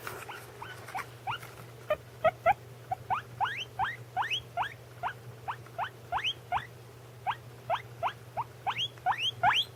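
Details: Pet guinea pigs, one eating while another calls: a steady series of short rising squeals repeated several times a second, each sweeping upward with bright harmonics, over a faint low steady hum.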